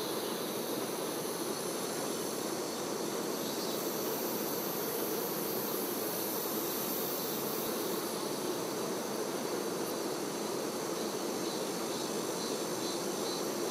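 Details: Many honey bee workers busy around their queen, heard as an unbroken, even, low-mid droning buzz that holds steady throughout, with a faint thin high tone above it.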